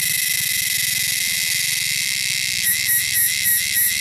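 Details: Loud, shrill wilderness cicadas hold a continuous buzzing drone over a low rumble, then break into rapid pulsed bursts repeating about every quarter second near the end.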